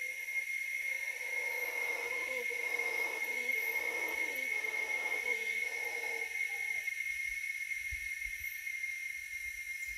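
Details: Deep, hoarse roaring of howler monkeys in the Costa Rican jungle, rising and falling for about seven seconds before stopping, with cicadas droning steadily in the background.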